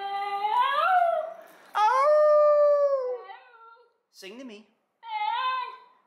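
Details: Pet Basenji dogs at home, coaxed by their owner to sing, give several warbling, yodel-like howls that rise then fall, with a short chirpy yip between them and a man's voice speaking briefly.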